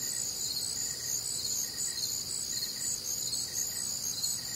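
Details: A warm, humid summer night in the Midwest: crickets fill the air with a steady high-pitched trilling chorus, layered bands of chirps and a soft lower pulse recurring about every half second.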